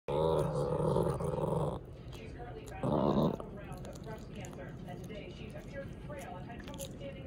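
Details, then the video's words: A Chihuahua gives a sustained, buzzy growl, then a second shorter one, warning off a cat larger than itself that feels like a threat. "Chihuahua growls at cat (Turn up to hear the Growwwl!)"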